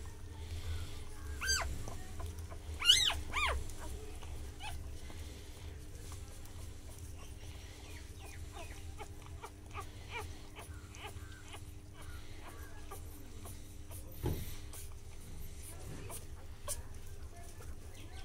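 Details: Mother dog caring for her newborn puppies, one day old, indoors: a short burst of high, thin rising whimpers near the start, then scattered faint squeaks over soft clicking, rustling and a steady low hum.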